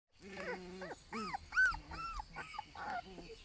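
Alaskan Malamute puppies give a string of high, arching whines and yelps with a few lower growly notes.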